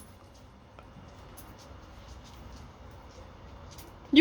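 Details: Quiet indoor room tone with faint scattered ticks and no clear voices or animal calls, ending in a sudden loud knock.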